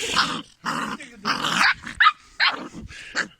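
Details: Kangal dog growling angrily, one of a group of growing Kangals kept with a Haymana black; harsh rasping growls in bursts of about half a second, with breaks between them and laughter nearby.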